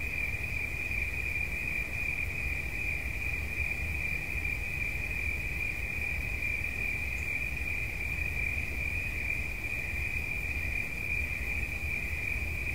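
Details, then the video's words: Cricket sound offered for relaxation: an unbroken, steady, high-pitched trill that holds one pitch throughout without pause, over a constant low rumble. "Świerszcz. Dźwięki relaksacyjne"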